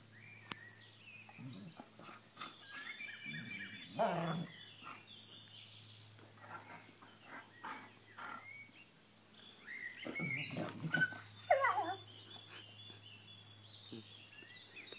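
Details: A newly arrived Doberman puppy pesters an old German Shepherd to get up and play, with low growling grumbles, sharp yelps and whining squeals in bursts, loudest near 4 and 10 to 12 seconds, over a steady hum.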